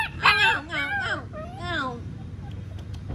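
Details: Alaskan Malamute puppies attempt a wolf-like howl, giving a cluster of wavering, yelpy notes that bend up and down for about two seconds, then fall quiet with faint clicks.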